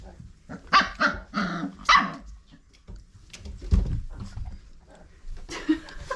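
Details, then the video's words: Old Family Red Nose Pit Bull puppies at five weeks, litter of Abby and Ragnar, give a quick run of three or four hoarse, high barks early on, then scuffling, thumps and faint room noise follow. "Old Family Red Nose Pit Bull Puppies at 5 Weeks Old"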